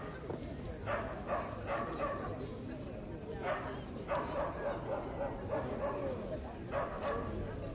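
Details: Evening in a busy park on Starokyivska Hill in Kyiv: a dog gives quick runs of repeated sharp barks, several in a row at a time, over continuous murmuring voices and a faint high hiss.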